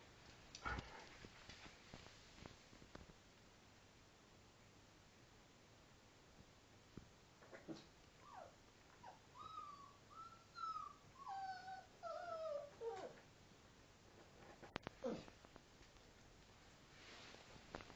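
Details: Female Alaskan Malamute pup, five weeks old, at play with her father: a run of thin, wavering whimpers rising and falling over about five seconds, set between scattered knocks and rustling scuffles.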